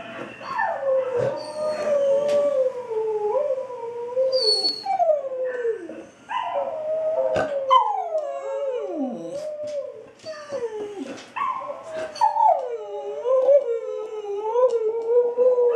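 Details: Sandy, a female Australian Kelpie, howls along to a played-back recording of her own howling; long wavering tonal howls sliding down and back up, several overlapping voices from dog and playback, with short breaks between phrases.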